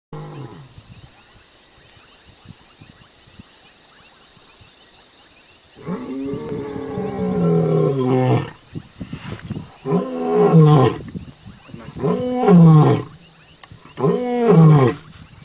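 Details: Wild lion roaring near a safari jeep in South Africa: quiet opening, then deep, moaning roars from about six seconds, followed by shorter grunting roars spaced roughly two seconds apart, steady faint hiss behind.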